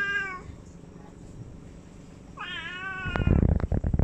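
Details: Domestic cat giving two meows, a short one at the start and a longer bending one midway, followed by loud low thumps and rustling.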